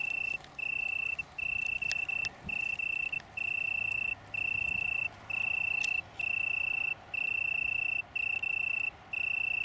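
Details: Italian tree cricket, one of a small colony on downland near Brighton, UK, on 21 September 2019: steady pure trills around one pitch, each lasting under a second and separated by short gaps, repeating regularly throughout.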